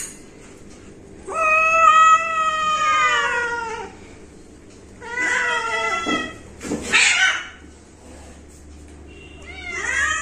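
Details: Cat at home voicing a long descending meow, then a shorter call, a rough noisy burst, and a rising final meow, with quiet gaps between.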